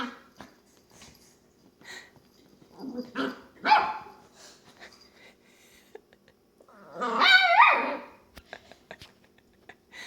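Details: Long-haired dachshund puppy, female, playing by herself in her bed, making funny little grunting, whining noises; scattered soft sounds, then a louder drawn-out yelp-like whine near the middle, with a person's voice encouraging her.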